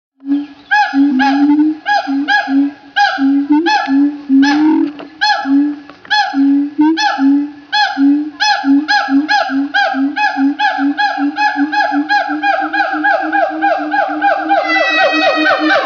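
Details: Siamangs calling loudly in Opole Zoo, Poland, apparently just chatting; a long run of hooting notes about two per second, each with a rising then falling swoop, quickening toward the end into rapid upward-sweeping whoops.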